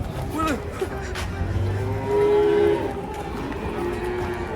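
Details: Cow from a herd being unloaded from a truck in Indonesia: one steady, drawn-out mid-pitched moo of under a second, over engine rumble, background music and people talking.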